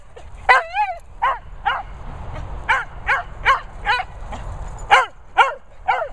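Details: A cocker and a Vizsla in boisterous play, giving a quick series of about eleven sharp yips and barks over six seconds. The first is drawn out and wobbling, the rest short, high and evenly spaced.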